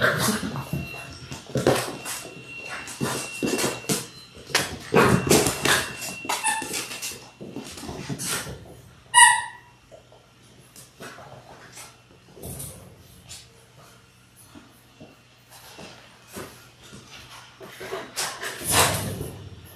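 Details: Six-week-old Labrador Retriever puppies, born January 18, 2022, indoors on a live puppy cam; scuffling and shuffling noises fill the room, with a brief high whimper partway through and scattered soft yelps.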